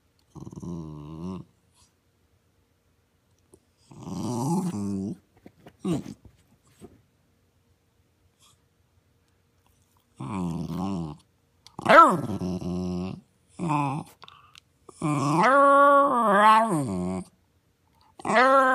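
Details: Talking dog Caruso, aged six and a retired show dog, produces a run of modulated, moaning howl-like utterances in a small room, some low and grumbling, later ones higher and whining, broken by short gaps and snuffles.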